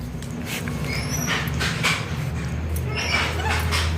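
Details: Pet dog responding in a back-and-forth conversation with its owner: short high thin whines and yips repeated several times a second, over a steady low background hum.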